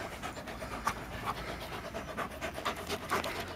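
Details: Labrador playing with a red frisbee, recorded on a Panasonic Lumix TZ7 digital camera: quiet, rapid, breathy panting, roughly two breaths a second, over background noise.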